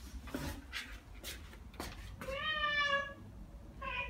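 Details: After hearing birdsong, Ragdoll cats Ao and Aki, aged one year and nine months, chatter: a run of soft clicks followed by a clear, level chirp-meow and a second short chirp.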